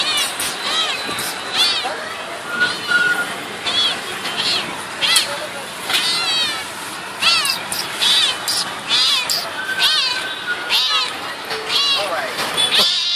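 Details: Domestic cat described as behaving like a dog; rapid series of short, arching meows repeated about once a second, loud and insistent, with a man talking in Hindi and exclaiming in English nearby.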